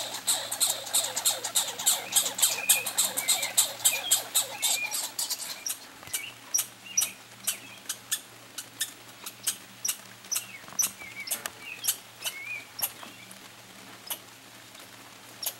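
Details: Two pine squirrels compete for peanuts during a summer vacation, giving a fast, clicking chatter that thins after a few seconds into scattered sharp ticks and short high chirps.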